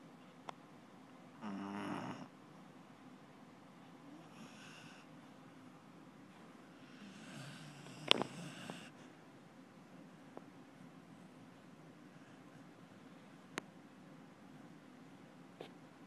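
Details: Truman the Beagle snoring in his sleep, a few soft raspy snorted breaths spread irregularly through a quiet room, one louder burst near the middle, with scattered faint clicks.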